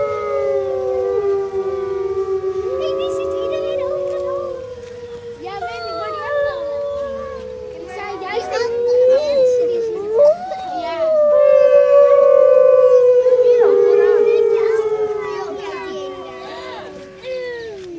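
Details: Grey wolf pack in a zoo enclosure at Artis Zoo, 10-11-2013, recorded by phone. Several overlapping howls waver and fall, broken midway by short yips and squeaky barks. Then one strong howl rises and slowly descends over the others.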